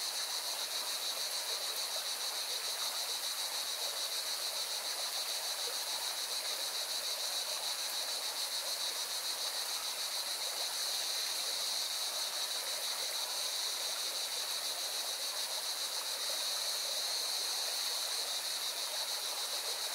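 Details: A chorus of cicadas near a mountain river in Valencia, Spain, produces a sustained, piercing buzz with a rapid regular throb for the full stretch, while the river's broad rushing sound fills the background.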